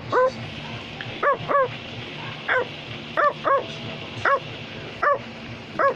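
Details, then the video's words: Australian Labradoodle named Wario barking in short, sharp, harmonic yaps, often in quick pairs, about ten barks over six seconds above a low steady hum. "Australian Labradoodle is barking"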